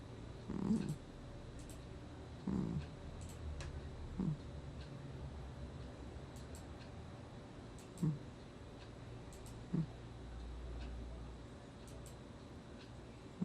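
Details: Domestic cat Gnusmas asleep and snoring, August 2020: low rough snorts recur every one and a half to two seconds, loud at first then fading to softer breaths, with faint ticking in a quiet room.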